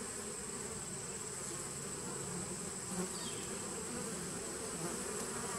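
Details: Honey bees in a nucleus colony started in 2017, recorded 19 September 2018: a dense, steady buzzing hum with low droning bands and faint high hiss, unchanging in loudness throughout.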